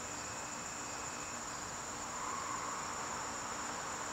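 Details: Evening crickets in a September garden give a constant thin high trill, joined midway by a brief faint whine at a lower pitch, over a low steady hum.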